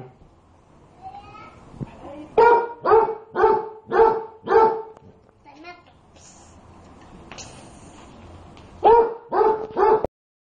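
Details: Pet dog barking at its hot food as if to cool it: a run of five sharp, evenly spaced barks, a pause filled with a few soft noises and some speech, then three more quick barks.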